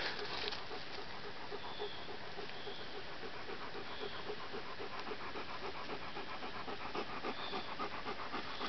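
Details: Rapid panting on the Sleepy Hollow trail in the Catskills, where a three-month-old Papillon puppy hikes for the first time alongside a Poodle, a Cockapoo and another Papillon; quick regular breaths, a few faint high squeaks above.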